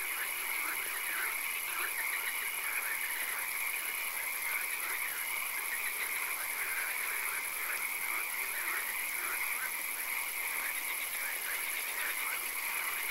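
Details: Dense chorus of frogs in a swamp after dark, overlapping croaks and faint pulsed trills blending into a constant, noisy hiss like light rain.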